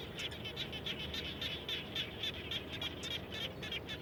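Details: Frogs heard around a house after it rained: crisp, short, high-pitched chirps repeated quickly at a fairly even pace, about three to four per second, against soft steady background noise.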